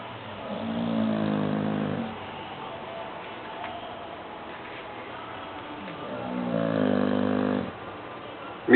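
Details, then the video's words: Sancho the dog sleeping and snoring: two long, rough, low droning breaths with layered harmonics, roughly five seconds apart, ending on a brief sharp noise. "Sancho Roncando"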